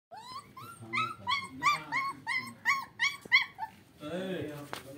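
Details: German Shepherd puppy, 35 days old, giving a rapid run of high, rising then falling yelping whimpers, roughly three a second, with a voice speaking briefly at the end.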